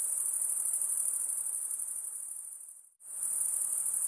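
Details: Insects give a shrill, very high-pitched continuous trill with a fine pulsing texture. It fades away to brief silence just before the three-second mark, then swells back at full strength.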